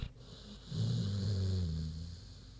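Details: Queenie the big pig asleep, giving a low drawn-out snore of about a second with a slightly wavering, throaty tone, between softer breaths.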